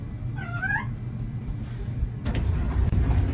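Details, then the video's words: Single brief cat meow in a home compilation, a soft downward-curving call over steady low rumble, then a sudden knock and indoor noise. "kitten meowing"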